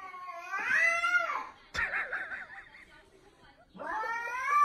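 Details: Cat meowing in drawn-out, wavering cries: a long rising-falling meow, a warbling middle call, then another rising meow starting near the end, indoors.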